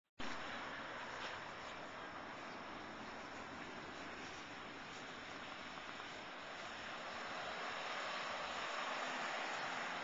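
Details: Continuous roaring wind or traffic-like noise in a park masks everything, and no animal sound comes through.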